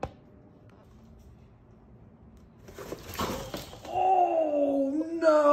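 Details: Baby goat, a surprise newborn kid, indoors in a house during pepper transplanting: quiet room, a brief rustling clatter, then a long wavering, gently falling bleat, with a second higher bleat starting at the very end.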